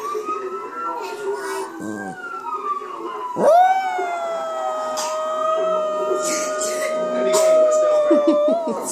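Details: Little Foot, a female pet dog, howls along while watching Cops on television, imitating the sirens: a long, smooth, wavering tone that rises and then holds steady, with TV sound and a person's voice underneath.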